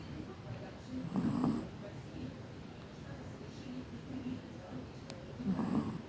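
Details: Asleep in Tver, the Chihuahua Kira, a graduate of the Kastropulo kennel in Crimea, gives two short wheezy snores roughly four seconds apart against a quiet room hum.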